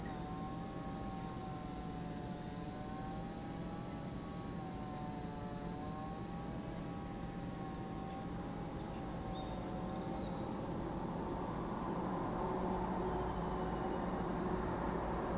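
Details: Chorus of cicadas by Lake Kamo, Sado City, Niigata Prefecture, Japan: a constant, shrill, hissing buzz filling the air, while a faint wavering engine-like hum drifts in the low background.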